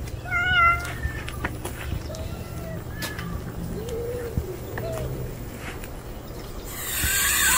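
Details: Strong, clear meow from a male stray cat never seen before, followed by softer, lower mewing sounds midway. A burst of hissing noise comes at the end, and a low background hum persists.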